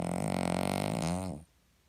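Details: A Cavalier King Charles Spaniel gives a hearty snore: one rough, vibrating, rattling breath lasting under a second and a half, wavering slightly in pitch before it cuts off into quiet.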